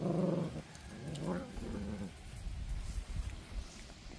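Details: Alabai puppies, Central Asian Shepherd Dogs, growling: a few low, throaty rumbles across about two seconds, fading into soft rustling background.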